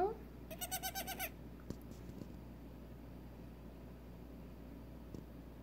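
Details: Six-hour-old female Nigerian Dwarf goat kid, weak and being helped to walk, gives a brief word-like sound then a pulsed, trembling bleat under a second long, followed by soft handling noises.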